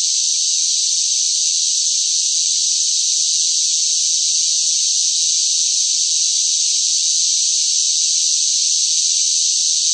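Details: Cicadas in hot midsummer heat fill the air with a loud, steady, high-pitched buzzing drone that never pauses.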